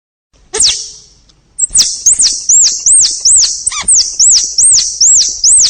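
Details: Squirrel giving a run of very high, arched squeaky chirps, about three each second after an opening downward squeal, with a brief pause near the start.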